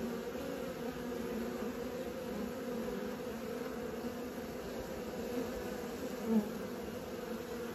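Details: Young honey bees practising flight around the hive fill the air with a constant, even buzzing drone that neither rises nor falls, with one brief louder pass near the end.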